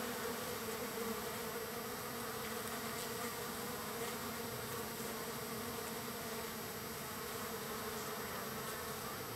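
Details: Large gathering of wild bees being fed, day three, with a thick, continuous low buzzing drone and a faint hiss over it, with no breaks or other clear sounds.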